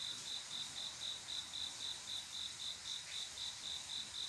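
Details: Cricket song on a quiet summer night, a male calling a female to mate: a steady train of bright, high chirps repeating about four times per second, with a faint hiss of background insects.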